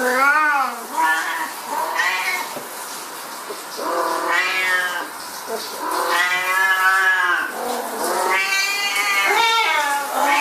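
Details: Siamese cats meowing at shower time: a steady run of loud, whining cries, some short and chirpy, others long and bending up then down, repeated almost continuously with brief gaps.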